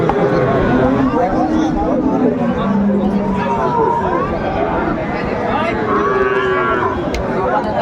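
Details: Sahiwal cattle, bulls at a busy cattle market in Cumilla, Bangladesh, on 26 December 2024. Several drawn-out, low moos sound over steady crowd chatter and market din, with one long moo in the first half and another near the end.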